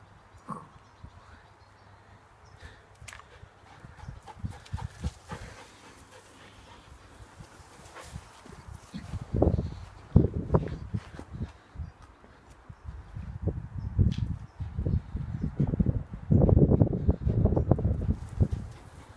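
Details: Fox red Labrador Retriever named Kali playing in a garden: rapid, breathy, irregular panting bursts, soft at first and growing louder and denser in the second half, low and muffled, with some rustling.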